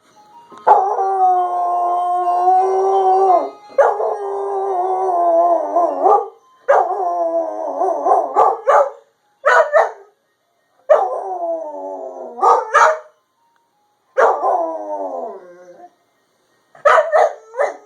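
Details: Puppy howling at a passing ice cream truck: long sustained harmonic howls, some wavering and sliding downward, broken by short sharp yips and barks, in bursts separated by brief pauses.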